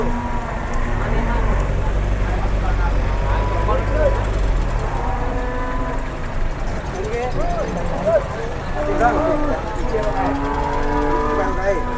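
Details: Cattle brought by truck to a livestock market in Indonesia, where traders crowd around the arriving animals, give low drawn-out moos, one after another, over a steady vehicle rumble and men talking nearby.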